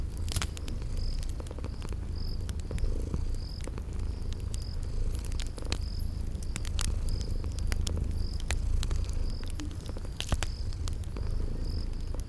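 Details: Gentle low purring of sleeping kitties, partly covered by a steadily chirping cricket repeating about once a second and frequent crackles from a fireplace in a spring garden setting.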